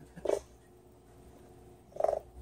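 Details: Excited male pet dog chattering his teeth, woodpecker-like: two short rattling bursts of fast clicks, about two seconds apart, with quiet room noise between.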